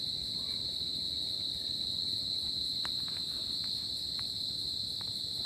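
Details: On a tropical summer night, crickets produce an even, unbroken high-pitched trill, with scattered faint ticks in the background.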